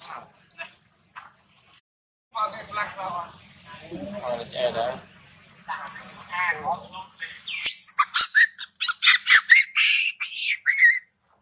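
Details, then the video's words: Amber group monkeys fighting: big male Marcus attacks small baby Timo while angry Tima screams loudly. Wavering chattering cries build into a burst of shrill, piercing screams near the end. "Tima angry big male Marcus & scream loudly"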